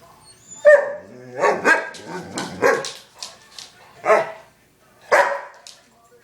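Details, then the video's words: Female pet dog barking demandingly indoors: a sharp bark, then several rough, wavering barks and growly vocalisations spaced about a second apart, with a final bark after a short pause; no other sounds. "Demanding Dog"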